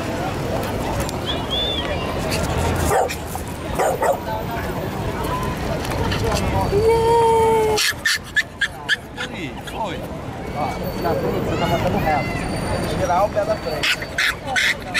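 A Yorkshire Terrier gives sharp, high yips and short barks, with a thin whine and people talking.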